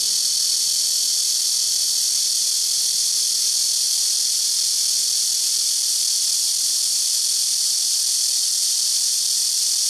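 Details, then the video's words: Loud blackish cicada chorus from trees around a house rooftop, the insects calling in turn: an unbroken, shrill buzzing hiss that stays level throughout with no pauses. "시끄러운 매미우는소리"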